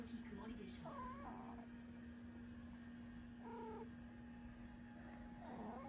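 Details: Ragamuffin cat indoors meowing along with a crying girl who was scolded; a few drawn-out mid-pitched meows at intervals over a steady electrical hum.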